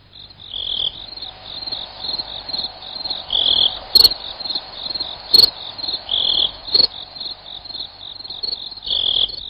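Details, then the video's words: Shrill cricket pulses repeat quickly and unevenly, swelling into brief louder bursts, with two sharp clicks partway through. "Suara Jangkrik"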